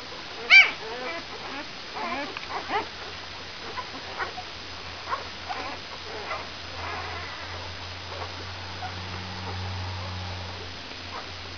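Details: Five-day-old brown Labrador Retriever puppies: one loud squeal at the start, then scattered soft whimpers and squeaks fading out, over a steady low hum.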